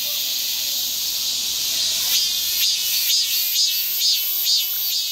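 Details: Cicadas keep up a shrill, high hiss that swells in soft pulses about twice a second, in a nature recording with wind and grass insects.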